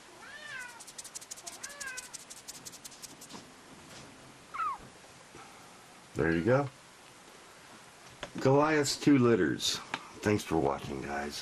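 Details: Highlander cat kittens, a rare lynx hybrid large breed, with their father Goliath: faint, thin, high mews falling in pitch come in short spaced bursts, followed by louder, rich meows mixed with a human voice late in the clip.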